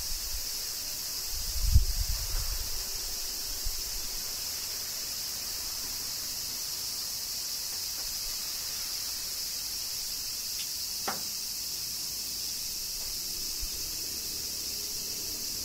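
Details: Kyoto summer rain with cicadas, Japan: a continuous high-pitched insect drone dominates, a low thudding rumble early on, then a couple of isolated clicks over the steady buzz.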